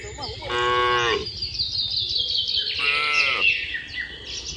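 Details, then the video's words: Cattle herd with calves heading back to the barn in the rainy season; two nasal, harmonic moos roughly two seconds apart, with a steady chorus of bird chirps high above. "Video kawanan sapi lembu jinak berlarian di musim hujan pulang ke kandang peternakan, anak sapi lucu"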